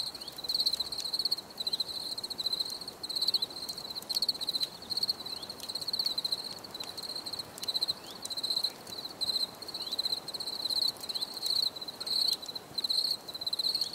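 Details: Several crickets chirping, recorded for calm and stress relief; bright high trills pulse in regular bursts about every second, overlapping steadily across the whole stretch with light background hiss.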